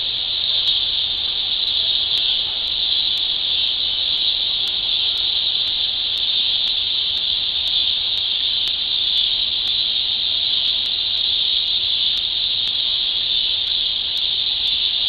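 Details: A continuous shrill cicada drone stays level and unbroken throughout, with light regular ticking clicks roughly every half second layered over it.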